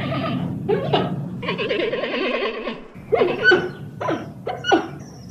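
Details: Giant panda giving a long quavering bleat with a strongly trembling pitch, followed by several short rising squeaks and yelps in quick succession.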